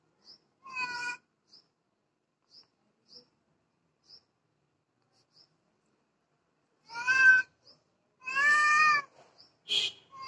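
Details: Domestic cat crying: one harmonic meow near the start, a long quiet stretch with faint ticks, then two louder drawn-out meows close together and a short high squeak at the end.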